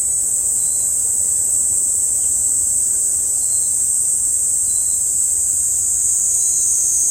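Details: Cicadas as a summer sound, a loud, unbroken high-pitched shrill drone holding steady throughout, with a few faint short notes slipping in beneath it.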